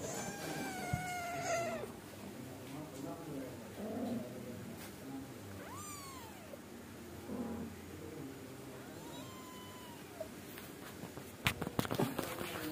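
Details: Angora mother cat scolding her naughty kittens so they settle down to sleep: a long wavering meow with rich harmonics opens, then two separate rising-falling mews follow at intervals, over low background murmur and a few sharp clicks near the end.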